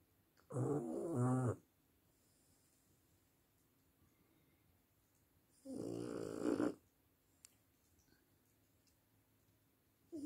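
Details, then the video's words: French bulldog snoring: two long, harsh, rattling snores about five seconds apart, each lasting roughly a second, and the start of a third at the end, with soft background hiss between them. "Bulldog francés roncando. Snoring french bulldog"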